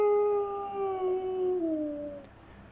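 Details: Pet dog howling along with dog videos: one long, drawn-out tonal howl that slowly slides downward and fades over nearly three seconds, with bright harmonics.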